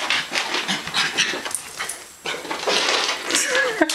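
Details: West Highland White Terrier Zoey during a play session: rapid raspy huffs and snorts in uneven bursts, a brief lull midway, then louder breathy puffing with a faint whine near the end.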